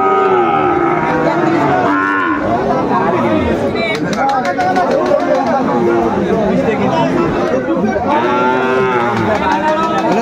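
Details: Sahiwal calves and cattle being bargained over at a Bangladeshi cattle market: several drawn-out moos, one near the start and another near the end, set against constant crowd chatter, speech and clatter.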